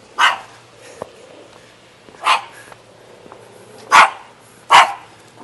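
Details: Shaggy dog in Jeonju, North Jeolla Province, Korea, barking in four short sharp bursts spaced one to two seconds apart, with faint clicks between and a steady low hum underneath.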